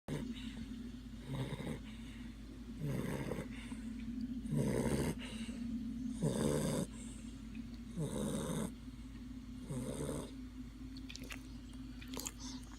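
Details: Lola, a female pet dog, asleep and snoring: rhythmic rasping snores about every one and a half seconds, each a harsh buzzy burst over a steady low hum, with a brief squeak near the end.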